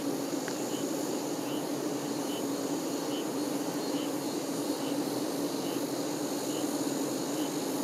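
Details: Honey bee workers busy around the queen give an unbroken low, even buzz, while a thin high chirp repeats roughly every second in the background.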